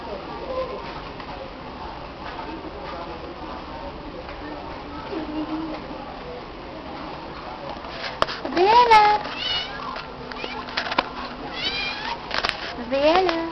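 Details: A female stray cat meowing in response to her name being called; after a long stretch of low background murmur and noise, a few rising-then-falling meows arrive in the second half, with voices and rustling around them.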